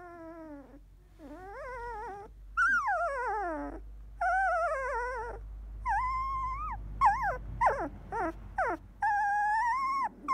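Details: Sixteen-day-old field-type Labrador Retriever puppy, eyes newly opened, resting after nursing: a run of loud, tonal whimpers and squeals, some sliding steeply downward, others rising then falling, in quick bursts with short gaps, over a low steady hum.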